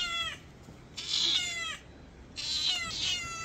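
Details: Mother cat in a village meowing eagerly while food is being prepared for her: three loud, high, harmonic meows, each sliding downward, about a second apart, in a quiet setting.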